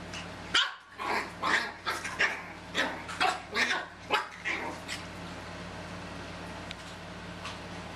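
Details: Chihuahua puppies from two litters, aged 13½ and 10 weeks, playing in a carport: a burst of about a dozen sharp, high yips and barks over four seconds, irregularly spaced, then quiet with a steady low electrical hum.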